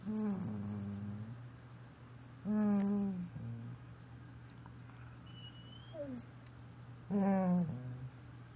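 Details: Doberman making Wookie-like noises indoors: three drawn-out, harmonic groaning moans, each about a second long with a wavering pitch, separated by pauses, over a steady electrical hum, with a faint high whistle between them.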